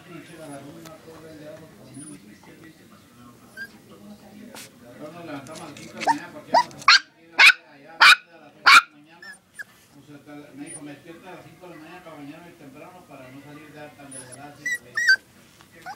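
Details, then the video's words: Yorkshire Terrier puppy sneezing indoors: a run of sharp, explosive bursts clustered mid-clip, about five in quick succession, with murmuring human speech throughout and a few more soft snorts near the end. "Yorkie puppy sneezing"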